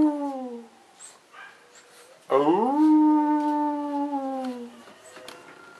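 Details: Cavalier King Charles Spaniel puppies, three of them, indoors in March 2014: a short falling tonal howl, a pause, then a longer howl that rises sharply and holds steady before fading, with faint room sounds.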